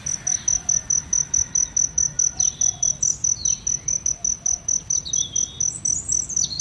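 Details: Cricket near aloe vera flowers with butterflies about, chirping in a fast, even run of sharp, high pulses, roughly three each second; faint bird calls sound now and then behind it.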